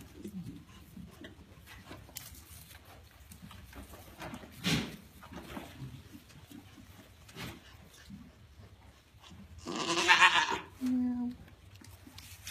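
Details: Grand Champion African pygmy goat doe RRF Cascade, restless in her pen about 9am on the day she later kidded triplets; quiet shuffling, then one loud, rough bleat followed by a brief, low, tonal note.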